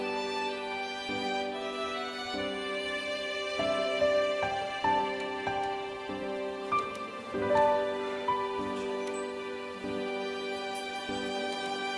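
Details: Soft, sad instrumental music plays throughout, with sustained harmonic tones and gentle melodic notes. No animal sound can be picked out.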